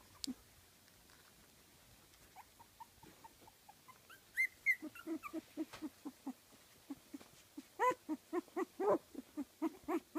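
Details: Kooikerhondje puppies, 15 days old, from a Swedish kennel litter; a run of short low grunting squeaks, irregular and rapid, with a few higher whining yelps mixed in midway.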